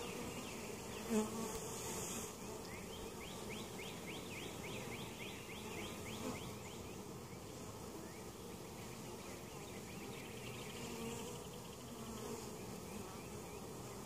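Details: Continuous humming of honey bees in an overwintered, weak hive at Mt. Perry, Ohio, inspected for varroa mites; a low even drone with a quick series of faint high chirps near the middle and a bump at the start.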